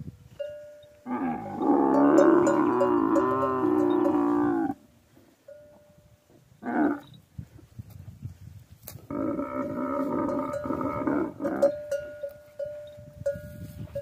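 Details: At a camel meeting in the Thar desert, camels give a long, rich, gurgling roar lasting several seconds. A brief grunt follows, then another sustained roar. A steady high tone persists throughout.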